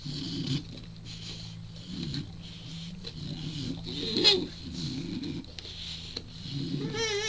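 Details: A 4-month-old male Shar Pei puppy grumbles and whines in low, throaty bursts, asking for a chew.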